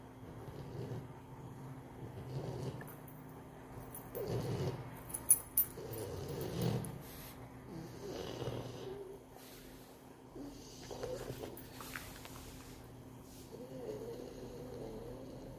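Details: Zhora the pug snoring: low, rumbling snores rise and fall roughly every two seconds, with a few sharper snorts and soft rustling between breaths.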